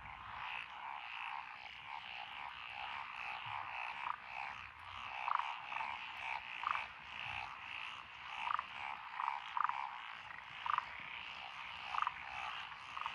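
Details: Frogs of several species calling in lotus rice paddies, Echizen, Fukui, Japan, 12 June 2021; over a steady trilling background, a nearer frog gives loud single croaks roughly every second, rising and falling in waves.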